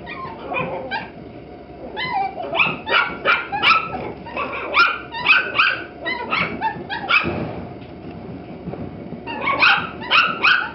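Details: Several Toy Poodle puppies, captured on a Nikon D5000, giving rapid high-pitched yelps and whimpers, often in clusters of three or four short notes that rise and fall, repeating throughout with brief pauses.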